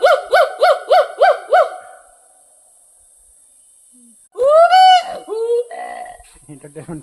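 A hoolock gibbon calls with six quick rising whoops, about three each second, each note swooping upward. After a pause comes a louder, drawn-out rising wail and lower falling notes, with people laughing and talking nearby.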